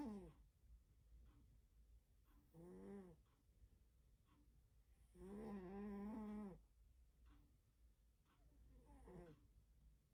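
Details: Sleeping cat snoring loudly indoors, harmonic rasping snores recurring every few seconds, the longest and loudest lasting over a second near the middle, with quieter breaths in between and a low background hum.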